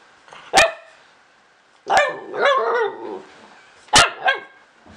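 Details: Pet dog trying to make a new friend: sharp single barks followed by drawn-out, wavering whine-like vocalisations and a final pair of quick yips, quiet indoor background.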